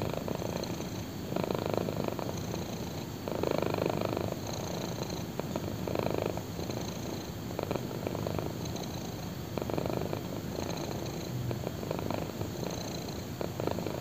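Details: Purring black kitten lying on someone's thigh; a deep, even rumble with clear louder bursts about every one to two seconds as breaths alternate, recorded intimately at close range in a quiet setting.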